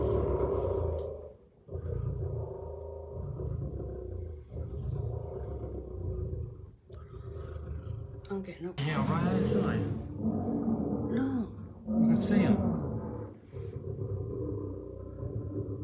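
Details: Captive lion roaring at night just outside the window of the Lion Lodge at West Midlands Safari Park, UK: a run of deep, rhythmic, low grunting pulses, followed by excited hushed human voices talking close by.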